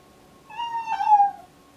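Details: Excited deaf domestic cat in pre-labour, heavily pregnant, lets out one loud, drawn-out meow lasting about a second, holding its pitch before dipping at the end, clear and harmonic in a still room.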